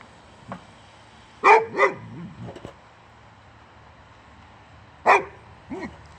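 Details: Male boxer dog Rex, from Sweden, angry at the tire on a wheelbarrow, gives a pair of loud rapid barks, then a pause, another sharp bark and a higher whining yip to close.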